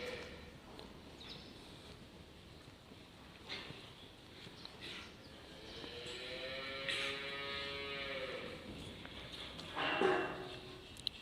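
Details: Dairy-breed calves kept on a farm; a low, harmonic moo swells midway through and holds for about two seconds, surrounded by scattered knocks, rustling and a brief loud clatter near the end.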